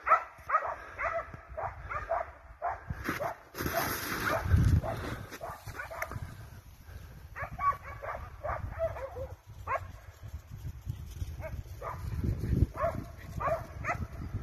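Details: Hunting dogs, scent hounds and Russo-European Laikas, chasing a wild boar: bursts of hoarse barks and yelps come in quick clusters, pausing and resuming, over heavy low rumbling noise from movement or wind.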